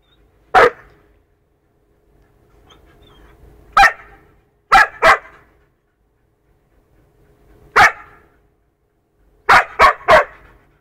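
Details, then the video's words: Punky the two-year-old poodle plays roughly with a four-month-old wolfdog puppy; single sharp barks at uneven intervals, then a pair, a lone one, and a closing burst of three quick barks. "Poodle VS Wolfdog, ruff play."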